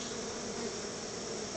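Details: Honey bees crowding around their hive while being fed a treat of store-bought honey by their keeper, giving a dense, steady, unbroken buzzing hum that fills the clip from start to finish.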